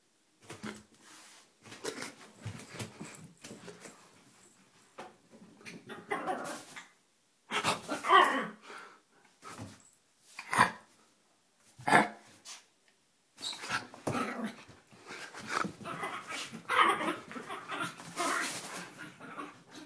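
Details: A feisty 4 lb pet Yorkshire Terrier indoors, acting crazy and playful; rough breathy growls and snorts mixed with short sharp yips in uneven bursts, with brief pauses between flurries.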